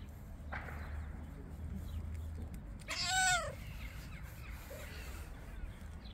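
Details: A very friendly stray calico cat gives one loud, drawn-out meow that rises and falls, after a fainter short call near the start, over a steady low rumble of background noise.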